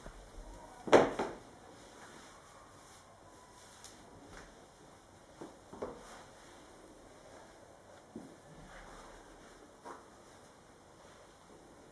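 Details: A quiet indoor room with a sharp knock near the start, then scattered soft taps and rustles; no animal calls are heard.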